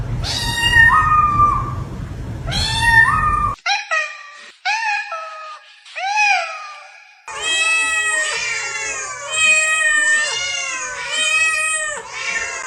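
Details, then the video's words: Domestic cats meowing: loud, rising then falling meows, a run of short chirpy calls, then long harmonic wails that swell and fade; a low rumble under the first calls. "pick the sound of the cat you love to hear everyday"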